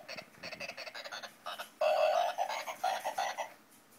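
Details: Frogs singing in short, pulsed croaks that build into a louder, sustained buzzy call mid-way, then continue as quick rhythmic bursts.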